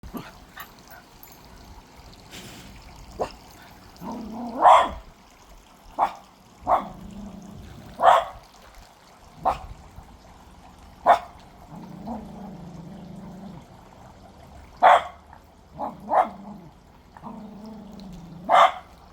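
A Cocker Spaniel puppy gives short, sharp, high barks, spaced a second or two apart.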